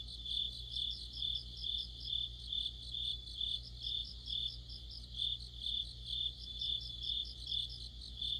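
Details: Cricket song in deepening autumn, among an insect chorus under a streetlamp; high pulsing chirps roughly twice a second with overlapping callers and a faint low hum beneath.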